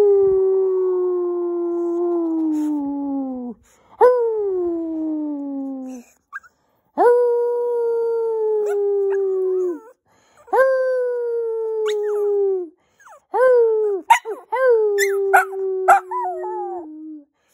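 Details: Male Shorkie pet dog howling when he misses his owner: a series of long, mournful, slowly falling howls, each a few seconds long with short breaks, the last ones broken by yips and wavering breaks in pitch.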